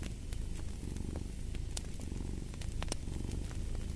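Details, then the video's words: Domestic cat purring as a steady, deep rumbling drone, with sharp crackles and pops from a fireplace scattered throughout. "Fall asleep to the Purring of a Cat"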